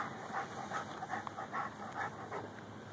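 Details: Lou, a Rhodesian Ridgeback crossed with a Bull Mastiff, pants steadily while digging for a pocket gopher, captured on a Samsung Galaxy S3. Soft, breathy bursts repeat roughly every half second over a faint hiss.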